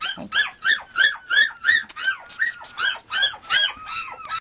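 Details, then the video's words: Male Mame Shiba Inu puppy from a Japanese breeder, indoors, gives a steady run of high, arched squeaky whines, about three per second, each rising then falling, with a faint thin tone held underneath. "豆柴 子犬"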